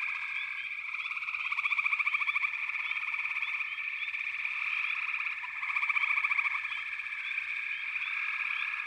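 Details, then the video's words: Backwater frog chorus forms a continuous shrill trill with brief rising chirps. Two louder bursts of fast pulsed croaking stand out, near two seconds and again near six. "FROGS - Pig Frogs, Water Frogs, Backwater Chorus, & Frog Chorus"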